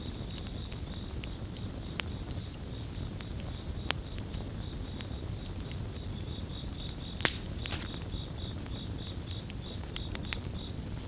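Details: Crickets in a gentle chorus blended with a crackling campfire for relaxation: a steady, high pulsed trill runs throughout beneath sharp pops and snaps of burning wood and a low, constant rumble.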